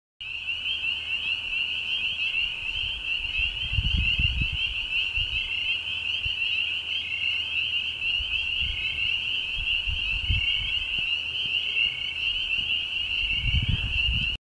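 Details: A dense chorus of spring peepers at a large, remote pond, their high, piercing peeps blending into a continuous shrill ring.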